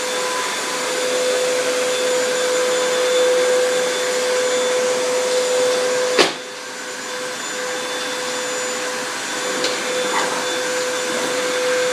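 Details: Steady vacuum cleaner roar indoors, broken by one loud thump midway.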